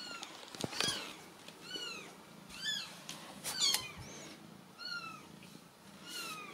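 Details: Several Ragdoll kittens in a central Kansas home cattery give a steady run of high, bent mews about every half second to second. Faint household rustle and clicks sit in the background.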